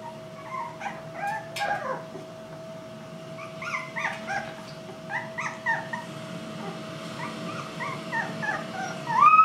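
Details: Four Irish Black and Tan Jack Russell Terrier puppies, two female and two male, whelped October 24, 2014, give short high squeaky whimpers and yips, scattered and overlapping, with a steady hum underneath and a rising squeal at the end.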